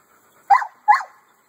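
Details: Two loud, rough barks about half a second apart from a male American Bully kept at a kennel, each short and harsh, with silence before and after.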